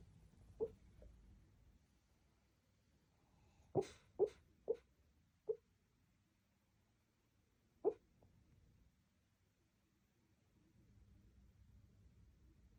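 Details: Sleeping Shih Tzu, dreaming, giving snores and gentle whimpers: irregular brief puffing snorts, a quick cluster of four near the middle, then a lone snort and quiet breathing-like hiss.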